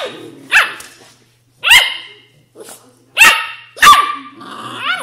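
An Australian Shepherd puppy gives high, yappy barks and whiny yelps in short irregular bursts.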